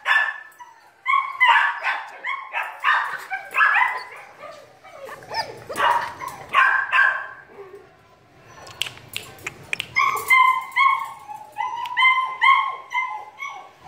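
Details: A 2.5-month-old female German Shepherd puppy, sired by an imported father, gives a run of high, yelping barks, repeated in quick bursts.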